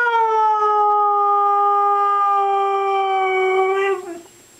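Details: Indoor female Siberian Husky 'talking', answering prompts to say 'I love you' with one long steady howled note over four seconds that sags slowly and ends in a short wavering break. The owner's praise is heard before and after.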